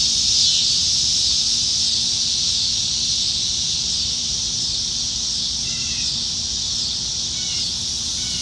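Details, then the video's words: Nebraska cicadas calling from the trees on a summer evening, July 2019: an intense continuous high buzz that eases slightly in loudness, with a couple of faint twittering bird notes near the end. "Summertime Evenings in Nebraska - Cicadas"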